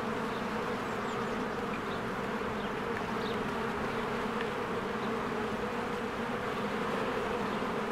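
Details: Many honeybees working at their hive in spring, wings making a constant layered drone, even in loudness, while short faint bird notes flicker high above the buzz.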